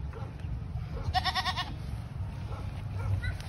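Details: Goat among animals being bought and sold, two of them priced together; one short, quavering bleat with a rapid tremolo lasting about half a second, over steady low rumbling background noise and faint voices.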